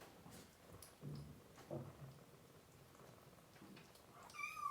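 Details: Demanding kitten indoors, one of a mother cat's three, hungry and hand-fed while being dewormed. A low shuffle and rustling lead to a single short, high crying mew at the very end.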